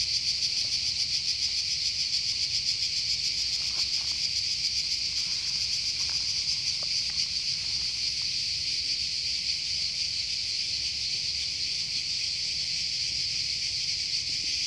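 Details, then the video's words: Cicadas in a Croatian forest give a continuous high electric-sounding buzz with fine rapid pulsing, holding steady while a few faint clicks and taps sound in the background. "Cicada (Cicala) in Croatia"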